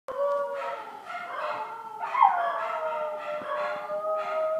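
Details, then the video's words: Chihuahua howling indoors with other dogs of the pack, unhappy while a packmate was taken to the vet: long sustained tonal wails with harmonics, gently wavering and overlapping, continuing steadily throughout. "Chihuahua Howling (sort of)"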